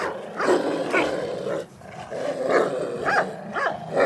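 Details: A brindle pit bull and a Doberman playing around, giving low rumbling growls and rough vocal bursts that rise and fall continuously, with brief higher yelping tones near the end.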